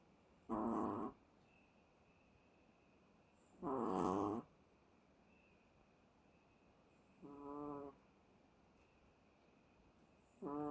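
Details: Chihuahua in deep sleep, snoring over and over: four rough, buzzy snores about half a second long, spaced roughly three seconds apart, with a quiet room between them.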